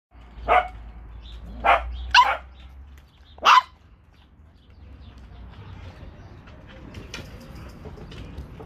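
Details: Corgi puppies, several sharp high barks in the first four seconds, then quieter shuffling and faint household noise.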